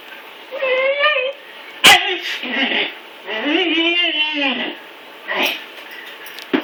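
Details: Male Siberian husky puppy Blizzard, recently neutered, whining as he has trouble getting up the stairs; two stretches of tonal, quavering whines, the second long and arching, separated by a sharp knock, in a small room.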